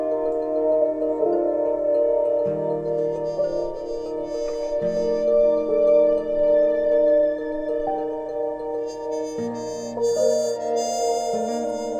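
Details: Sustained, layered ambient music with ringing, bowl-like tones and slowly shifting low drones. No animal sounds can be picked out.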